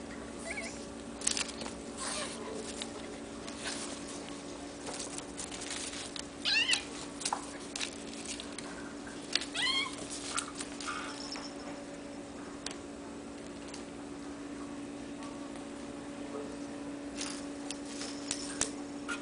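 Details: Kittens of a hairless Sphynx and Bambino cattery litter give a few short, high, quavering mews at intervals, with soft clicks and rustling between calls against a constant low electrical hum.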